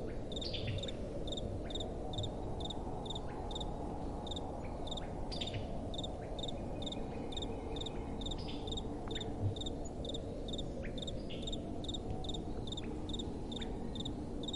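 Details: Crickets at night with soft wind blowing: short, high, bright chirps repeated steadily about twice a second over a constant low rushing wind.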